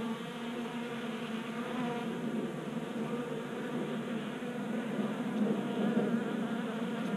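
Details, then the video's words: Honey bees feeding at a table-top bee feeder in a garage in Colorado on a warm January day; a steady, dense buzzing drone of many wings with a low hum, wavering slightly in loudness throughout. "Honey Bees Feasting from 3D Printed Bee Feeder"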